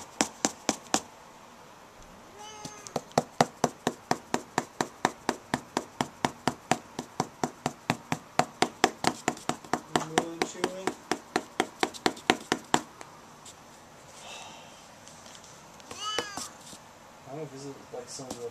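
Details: Siamese cat being patted with a foam sword indoors, growing overstimulated and attacking; rapid rhythmic tapping of the sword dominates, with short harmonic meows breaking through midway and a clearer, wavering meow near the end.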